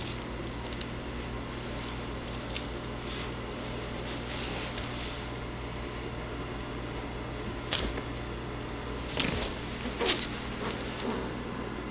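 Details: A constant fan-like indoor hum fills the room, broken only by a few soft rustles and clicks.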